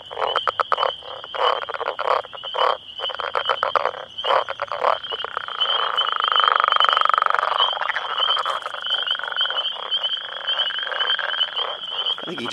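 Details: Northern Leopard Frogs, about ten males calling for females in their breeding territory, ignoring a nearby person; rapid rattling snore-like pulses in bursts, then a long continuous grating chorus, over a steady high insect-like whine and splashing water.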